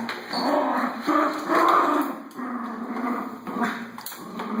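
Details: Pet Schnauzer at play with a vacuum cleaner, voicing a run of yipping, whimpering barks against the constant droning hum of the machine.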